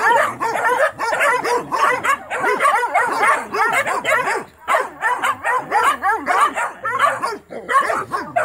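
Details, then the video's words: Original Mountain Cur pups barking nonstop at a young raccoon in a trap during training, a continuous tangle of rapid, high, wavering yelps from several pups with hardly any pause. "Original mountain curs pups getting some training and barking time in on a young coon"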